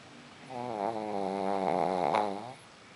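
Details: Pug named Bimba snoring while asleep indoors: one long, steady, harmonic-rich snore lasting about two seconds, with a buzzy, wavering tone that swells slightly toward the end, in a quiet room.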